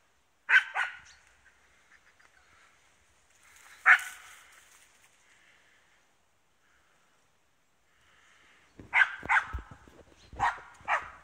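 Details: East Siberian Laika hunting wild boar: sharp barks, a pair near the start, a single bark at four seconds, then a quick burst of five or six barks after a pause of nearly five seconds.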